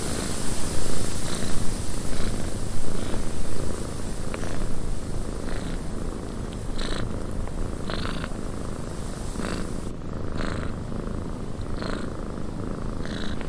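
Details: Cat purring inside a windy cabin: a steady, deep, rumbling purr fills the low end, with brief broadband bursts of noise popping up every second or two over the top.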